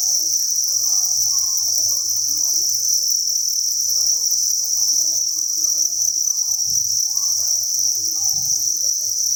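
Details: Crowded crickets at a cricket farm keep up a constant high, rapidly pulsing chirp chorus; soft low thumps near seven and eight and a half seconds and faint murmurs sit underneath.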